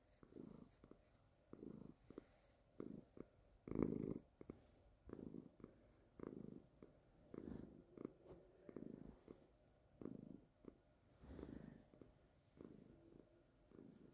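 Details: A calico kitten on a couch, being petted and pawing at toys, purrs steadily in low, rumbling pulses that swell and fade with each breath.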